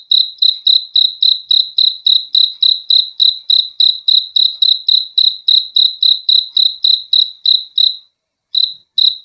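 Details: Crickets giving a calm sleep sound: rapid, regular shrill chirps at about three and a half per second, then a short silence near the end before the chirping resumes.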